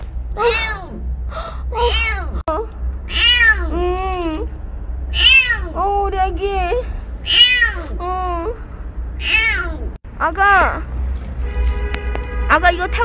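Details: Stray kitten named Ppeuti, being coaxed toward a rescuer, giving a run of high arching meows about every second or two, some rising then falling, with a woman's soft voice calling in between and a low hum underneath.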